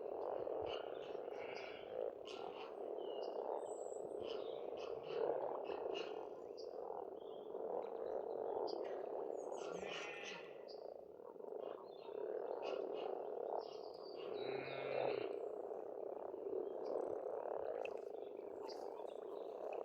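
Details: Spring frog chorus at a pond on a farmstead in Estonia, a dense steady croaking mass with bird calls breaking through above it, short chirps and twittering notes scattered throughout.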